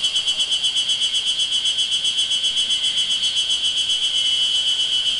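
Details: A chorus of Ezo spring cicadas on Mount Moiwa, 31 May 2012, unseen but recorded, fills the air with a shrill, continuous buzz that throbs evenly at about four pulses per second, with no other sounds standing out.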